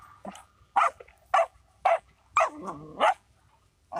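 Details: Dog barking: five short, sharp, mid-pitched barks spaced about half a second apart, with a brief low growly note between the fourth and fifth, over a quiet background.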